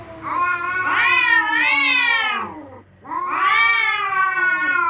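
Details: Territorial cats at night threatening each other: two long, wavering, nasal yowls that rise and fall, separated by a brief silence near the third second.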